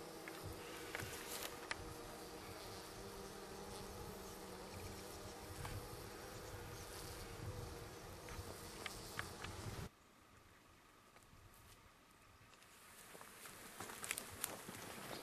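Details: Russian honey bees relocated from an inner-city Melbourne garden to the country, arriving at midnight after a four-hour drive near Apollo Bay, 20 April 2012; a dense steady hive hum with low harmonic bands, then it abruptly drops quieter near the end.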